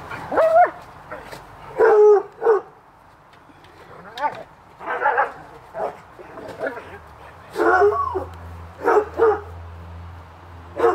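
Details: Dogs Hubert and Woody playing in a backyard on a summer afternoon: loud, harmonic barks come in short bursts and clusters, separated by quieter gaps with a low hum and a person's voice.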